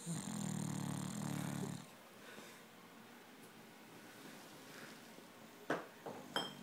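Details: A 10-month-old English Bulldog napping gives a long, low, rattling snore, followed by quiet breathing and a few soft knocks.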